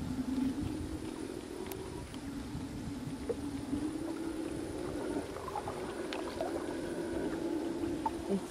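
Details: Howler monkey roaring from the jungle close by near the Rio Madre de Dios, heard from boats; a loud, continuous deep droning roar like a lion's, steady throughout with faint water and paddling sounds.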